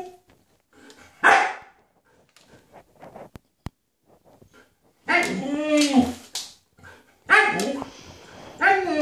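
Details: Husky stalking deer, giving loud harmonic howling, whining vocalizations in two long bursts near the end, with an earlier short yelp and quiet gaps between.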